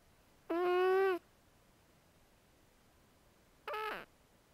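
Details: Zoey, a house cat, snoring in her sleep indoors: one even, buzzy tonal snore lasting under a second, then a shorter, rougher one with a falling tail about three seconds later; otherwise quiet.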